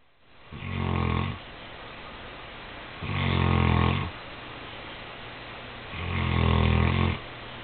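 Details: Cody, a Saint Bernard, asleep on the night before Christmas, snoring indoors: three long, low rumbling snores about every two and a half seconds, each a broad droning burst with quiet breathing hiss between.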